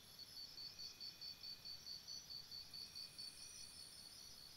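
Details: Crickets chirping at night by a campsite: a steady, faint, high-pitched pulsing trill repeats in even short bursts, a little over two per second, with a soft continuous hiss underneath.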